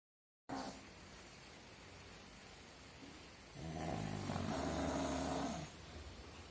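A pug snores, with a low, rattling, buzzy drone swelling out of soft breathy hiss.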